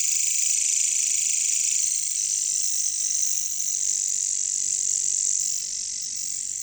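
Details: Katydids, or bush crickets, in a jungle: a continuous high-pitched buzzing hiss that stays steady, then softens slightly toward the end, with no other distinct voices.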